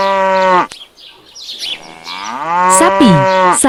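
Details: Domestic cattle kept mainly for milk and meat, a grass-eating livestock animal: a drawn-out harmonic moo at the start, cut off by a click, then a second long moo that falls slightly and fades out, with speech-like noise around it.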